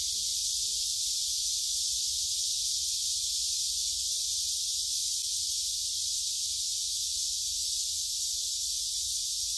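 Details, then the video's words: Many cicadas singing at Gyeongju's Gyerim forest, 16 July 2022, captured with a phone while walking; an even, piercing high-pitched hiss runs throughout without pause, steady in loudness. "매미들이 노래하는 '경주 계림'"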